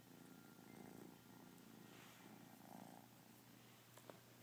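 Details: Kitten purring during a lazy day indoors, a quiet steady low rumbling purr running through the whole stretch with faint soft clicks near the end.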